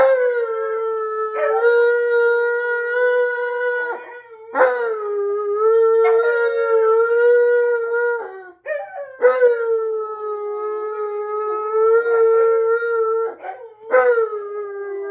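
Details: Early-morning howling from an Alaskan Malamute joined by another dog, mad about being woken: continuous steady drawn-out tones with strong overtones, restarting with a sharp upward slide about every two to four seconds, voices overlapping.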